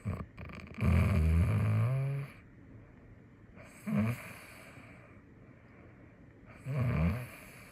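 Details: Snoring female cat, filmed in Taipei; three low, rough rasping breaths at roughly three-second intervals, the first long and drawn out, the later two shorter, with quiet pauses between them.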